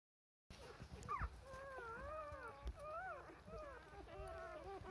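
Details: Newborn Rough Collie puppies, four days old, whimpering for milk while their mother is busy cleaning them: thin, wavering, whistled whines that rise and fall, overlapping from several pups, with soft thumps of movement.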